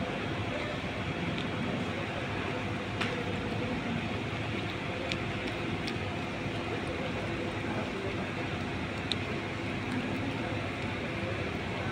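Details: Continuous low rumbling traffic or machinery noise with a few sharp clicks and faint distant voices, no animal sounds.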